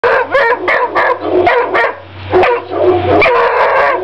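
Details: Three-month-old female Walker Hound puppy giving a steady stream of loud, hoarse barks and yelping howls, overlapping with almost no pause across four seconds, with a low steady hum underneath.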